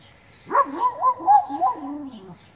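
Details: A Weimaraner 'talks' on request from her owners in a wavering, moaning run of whine-like syllables that rise and fall in pitch.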